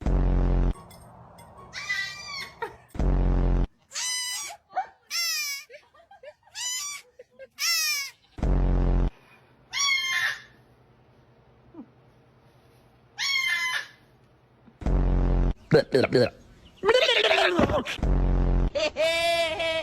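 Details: Domestic goat, kept by people, giving a series of wavering, nasal, harmonic bleats in short bursts, some quavering and rising, separated by pauses, with people talking and laughing in Turkish and loud handling noises between calls.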